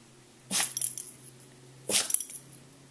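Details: Echo, a pet dog, sneezing while it rains: two sharp, breathy sneezes about one and a half seconds apart, each a sudden hissing burst followed by faint snuffling, over a quiet steady hum.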